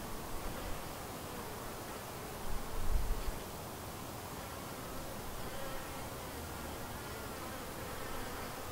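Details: Honey bees around a white hive, a colony split from another hive and doing well, give a steady, dense hum of many wings, with a brief louder swell near the three-second mark.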